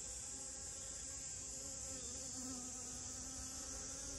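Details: Short burst of honey bee buzzing near rose moss, a low hum whose pitch bends upward briefly midway, set against a steady high insect drone.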